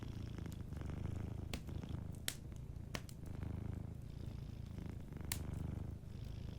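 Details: Sleeping cat purring softly beside a warm fireplace; deep, low rumbling purr swelling and fading in slow breathing cycles roughly every one and a half seconds, with sharp crackles and pops of burning wood scattered throughout.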